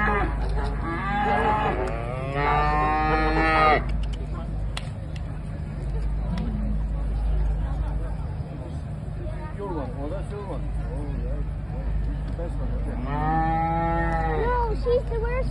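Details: Parthenaise cattle at the Tullamore Show in 2022; two long, drawn-out harmonic moos near the start and another near the end, over a constant low engine-like hum and crowd murmur.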